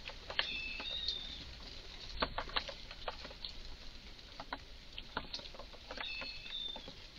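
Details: A highly excited Eurasian red squirrel in a garden gives strange calls: sharp, dry clicking chucks repeated irregularly, several per second, with a faint thin whistled bird call near the start and again toward the end.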